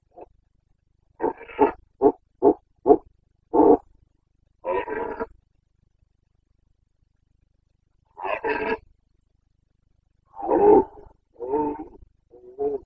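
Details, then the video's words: Carpathian red deer stag roaring (boncănit) during the breeding season in the Bucovina mountains, 29 September 2022: a quick run of short, deep grunting barks, then longer, drawn-out harsh roars after a pause. "Boncănit / Carpathian stag Breeding season"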